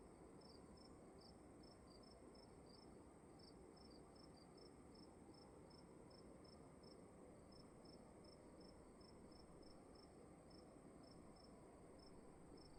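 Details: Night-time cricket chirping in a dark room: crisp, high chirps at an even pace of about two or three per second, with a short pause near the middle, above a constant low hum.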